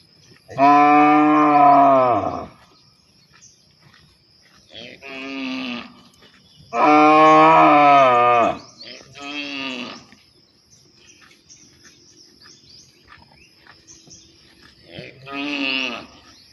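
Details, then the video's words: Cows calling to partners to mate: two long, loud, harmonic-rich bellows of about two seconds each, plus three shorter, lower moos between and after them, with quiet gaps in between. "Funny Cow Sounds When Calling Their Partners to Mate"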